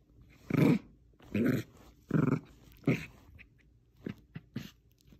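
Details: Bichon Frise playing tug of war with a small stuffed squirrel toy indoors, giving four low rumbling growls about a second apart, each lasting under half a second, followed by a few fainter short grunts in a small room.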